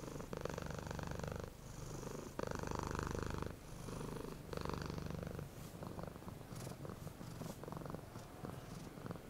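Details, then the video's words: A happy, relaxed cat purring smoothly in a steady low rumble that swells and fades in phases lasting about one to one and a half seconds. The purr softens toward the end, with faint clicks and rustles. "happy CAT Purring Smoothly"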